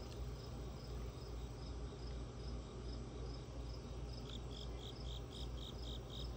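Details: Crickets chirp steadily in high, regular pulses over a low, constant rumble, as ambient sound during a raccoon's visit.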